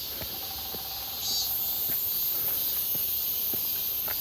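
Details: Crowds of cicadas calling near Seonbawi on a hot, clear 1 August 2023 during a walk; a continuous piercing buzz swells slightly louder after the first second, with scattered footstep clicks and a faint brief tone early on.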